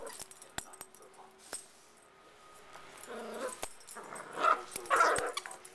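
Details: Cavalier King Charles Spaniel puppies playing, soft whimpers and a few high yips rising near the end, with scattered clicks and thumps of movement in a quiet room.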